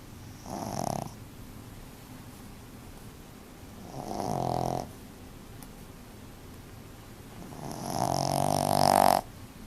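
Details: A sleeping puppy snores in three drawn-out, rasping breaths, about four seconds apart. Each is a buzzy droning sound that swells in loudness, and the last is the strongest. Soft room hiss fills the gaps.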